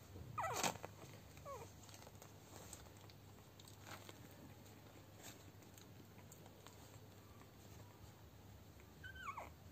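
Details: Ten-day-old Lagotto Romagnolo puppies give brief, sharp squeals that sweep up and down, one near the start, a smaller one soon after and another near the end, with quiet room hiss between.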